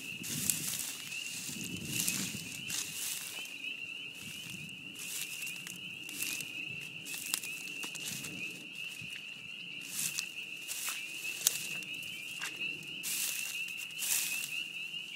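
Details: Loud spring peepers calling together at a beaver pond in spring, their high piercing peeps blending into an unbroken ringing chorus, with intermittent crackling bursts and light rustle.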